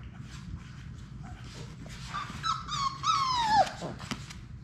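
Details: Six Labrador Retriever puppies at play indoors in a puppy play room, one giving a clear high whine that slides down near the end, amid a steady low room hum and scuffling.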